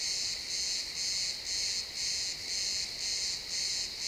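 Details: Chirping crickets at sunset in pine woods, XY stereo recording: a short run of high, rasping pulses, roughly two each second, evenly spaced against faint forest ambience.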